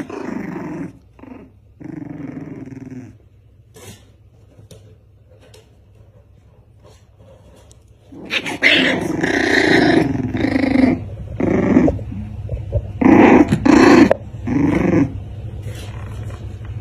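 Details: Two dogs, one black and one white, fighting. A low rumbling growl opens, then a long quiet stretch, before loud harsh snarling and barking bursts erupt in a chaotic tussle with scuffling.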